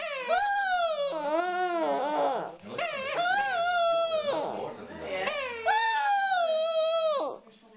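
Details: Dog howling and crying in play with his stuffed animal: a series of long, wavering, slightly falling howls, each lasting one to two seconds, separated by short breaths and faint rustling.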